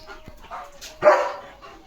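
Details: Leo, a village German Shepherd acting as guard dog, barks to chase off another dog seen near his house: a single sharp, loud bark after a second of faint rustling.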